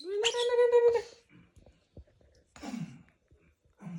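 A baby monkey gives a loud, shrill, harmonic scream lasting nearly a second, followed by softer grunting cries.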